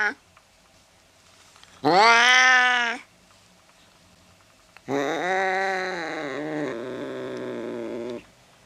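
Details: Angry cat producing one short, arched yowl, then a longer drawn-out wail that wavers and drops lower toward its end.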